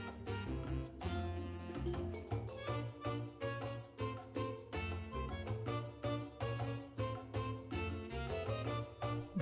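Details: Lively Latin dance music with brass, strings and a steady percussive beat plays throughout. No animal sounds can be heard.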